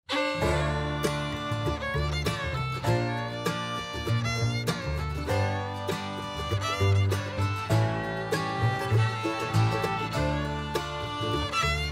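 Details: Lively bluegrass music with banjo and fiddle plays throughout, with no animal sound.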